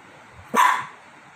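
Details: A Lhasa Apso dog reacting to a calcium bone placed on a remote lets out one short, sharp bark of about a quarter second, with quiet room sound before and after.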